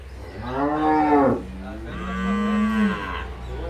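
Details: Two moos from dairy cattle on a farm in El Salvador: a first harmonic call dipping at the close, then a lower, longer, steadier moo, with faint background murmur between.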